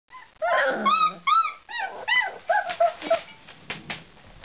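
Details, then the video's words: Tosa Inu puppies indoors whimpering and squealing, a burst of overlapping high, arching whines and yelps with short gaps, some lower growly tones early on. "Štěňátka Tosa inu"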